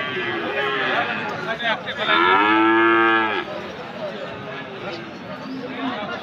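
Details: Friesian and cross-breed cattle, bulls and calves, at a livestock market in Aftabganj, Dinajpur, on Saturday 18 February. One loud, drawn-out, deep moo swells and fades over about a second, over a steady murmur of market chatter.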